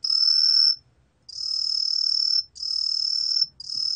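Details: Four high, ringing trill bursts of roughly a second each, separated by short pauses, from a cheongsol cricket recorded by the National Institute of Biological Resources in 2020; faint low rumble beneath.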